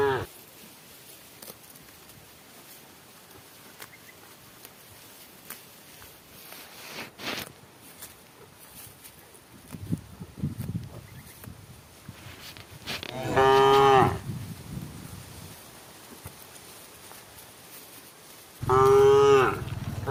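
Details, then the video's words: Cow in a herd calling its herd while the cows eat together toward evening: quiet rustling and low shuffling, then two long, harmonic moos some five seconds apart. "the sound of a cow calling itsherd"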